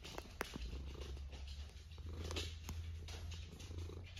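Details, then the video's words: Sleeping pet cat giving a steady, deep rumbling snore that holds almost unbroken, with soft scattered ticks and faint room noise over the top. "A snoring cat"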